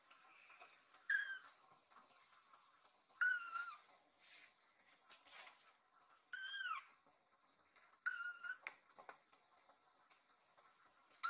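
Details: Rescued kitten, worried about its owner lying on a sofa, climbs onto the owner's body and meows loudly as if asking if all is well; four clear rising-falling meows spaced a few seconds apart, with soft rustling between.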